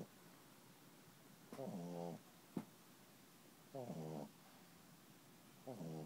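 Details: Puppy asleep and snoring: three raspy, rattling breaths about two seconds apart, with a sharp click between the first two.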